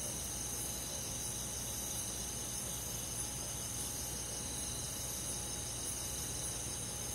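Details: Crickets and other insects on a summer night in a countryside forest: a dense, unbroken high shimmering trill with faint rhythmic pulsing on top, over a steady low hum and a thin constant tone.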